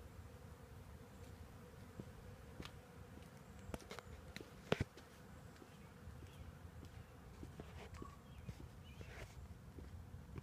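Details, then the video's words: Swarming honey bees clustered in a tree make a continuous droning hum, dotted with scattered clicks and brief taps near the recorder. "bees in tree"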